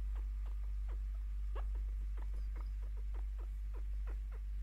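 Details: Happy chirping from Picchu, a pet female chinchilla aged five, while receiving attention and scratches: a steady string of brief downward-sliding chirps, some paired, over an unbroken low hum in a small room.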